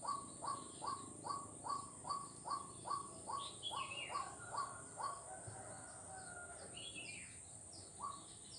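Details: Frog heard on a street in Kuala Kapuas, Central Kalimantan, Indonesia, 4 November 2021, giving a long regular train of short rising notes about two and a half per second, then scattered chirps, against continuous high-pitched insect buzzing.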